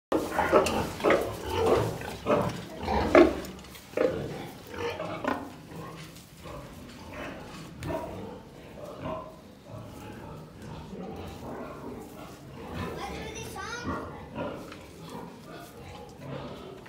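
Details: Belgian Piétrain pig giving rough, noisy grunts in quick bursts over the first four seconds, then sparser, quieter grunts, with French conversation from people nearby throughout.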